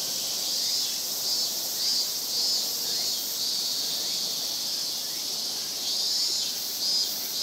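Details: Japanese cicadas calling together in a Japanese summer, a thick unbroken high-pitched shrill drone with slight swells in loudness every couple of seconds.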